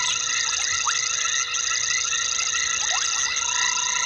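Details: Frogs heard at 21:22 on 12/11/19 at Gowrie dam, a waterhole in South Africa's Sabi Sand; continuous shrill tonal chorus with several brief descending whistled notes scattered through.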